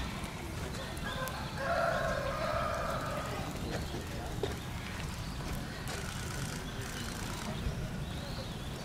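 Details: Giant panda Tantan at Oji Zoo on 19 January 2021, excited by swirling falling snow, standing up and scratching, calling for a while; one drawn-out, wavering, tonal bleat lasting about a second and a half, over a steady noisy outdoor background.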